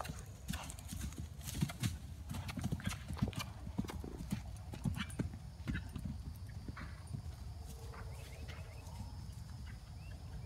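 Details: Hoofbeats of a 2012 RPSI mare on her fourth ride over fences, recorded 29 March 2016; dense irregular thuds and clatters of hooves throughout, with a steady low rumble of wind or ground noise underneath.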